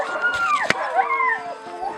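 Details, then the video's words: Siberian Husky puppies at feeding time producing sliding, howl-like whines that dip and rise, overlapping, with a sharp click partway through. "щенки хаски+звук"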